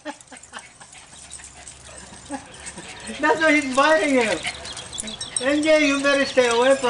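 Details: A pet dog among a family's eight, during ball play. A few faint clicks and yips open, then two drawn-out, wavering whines, each lasting over a second and sliding up and down, with quiet voices behind.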